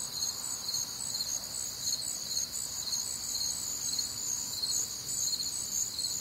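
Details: Crickets and other nocturnal insects on a warm, humid Midwestern summer night, a dense high-pitched chorus of pulsed chirps layered in several bands, steady and continuous with overlapping callers.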